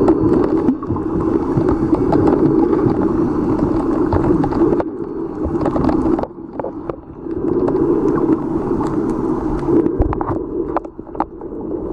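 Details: Continuous rumbling engine and gurgling water noise fill the recording off Opunohu Bay, Moorea, with brief drops in level and no clear animal call.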